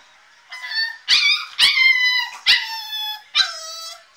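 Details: Staffordshire Bull Terrier puppy called Diablo howls and screams to be let out of his crate: five drawn-out, high-pitched, wailing cries with strong overtones, each about half a second long and separated by short breaths.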